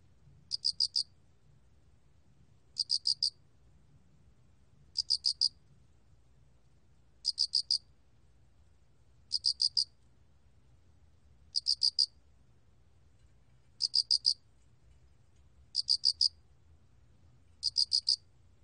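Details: A spotted cricket sings short bursts of three or four high, ringing chirps, repeated about every two seconds.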